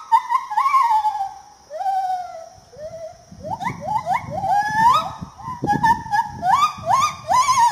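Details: Ungka tangan putih, the lar gibbon of Peninsular Malaysia, calling in a series of rising whooping notes that quicken toward the end, with a low rumbling background in the later half.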